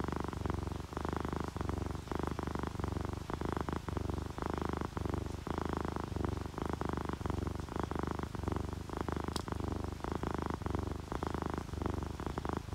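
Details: Steady, close purring from relaxed sleeping cats, an orange tabby and a calico; strong low rumble repeating in even breath pulses, with one brief faint high click near the end.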